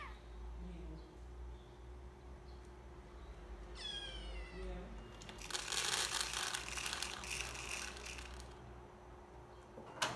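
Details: Kittens from a household of five, including Milky and Moon Moon, exploring and wrecking a new home: one short descending meow, followed by loud rustling and clattering over a steady low hum indoors.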